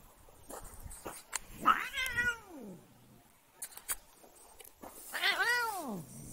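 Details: An annoyed house cat lets out two arched, whiny meows about three seconds apart, each climbing and then sliding down in pitch, amid scattered clicks, taps and rustling handling noises.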